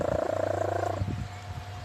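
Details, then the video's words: Cat Leah asleep and snoring: a single fluttering, nasal rasp for about a second that fades into quiet low background rumble. "FUNNY CAT LEAH SNORES WHEN HE SLEEP"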